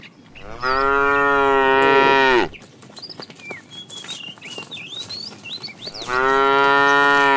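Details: A fat tame cow in a herd being driven in the afternoon calls to the female: two long, loud, harmonic moos, each about two seconds, with a steady pitch. Faint chirping birds fill the quiet gap between them.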